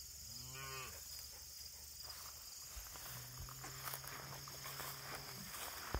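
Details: Bull calf, August 31, 2023, white oak tree noted: one short harmonic moo at the start, then a long, deep, steady low moo a few seconds later, over constant insect buzz and some rustling.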